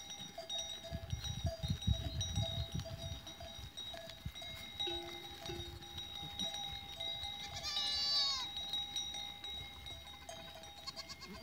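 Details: Goat herd on 14 April 2023, with cowbells chiming continuously; a brief low call midway, then a higher, quavering bleat, all over a background of rustling and shuffling.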